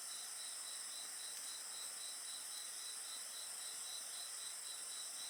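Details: Insects singing beside a bonfire: a steady high shrill drone with an overlaid pulsed chirp repeated about four times a second, forming a dense continuous night chorus.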